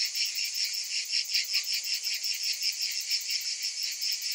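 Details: Many cicadas calling on a summer day, a steady high-pitched rasping hum that swells and fades in rapid beats, continuous throughout.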